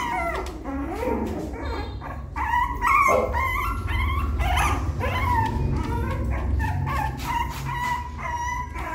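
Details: A puppy attempting to climb a little step into the nest whines and yips in uneven, overlapping bursts, with several high squeaky cries over a constant low rumble.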